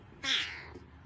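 A kitten gives a single short, thin, high-pitched meow.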